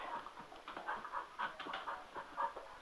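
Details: Sugar, a male Cocker Spaniel, gets excited over a spin mop indoors; quick, breathy panting pulses repeat steadily through the short stretch, with faint household noise behind.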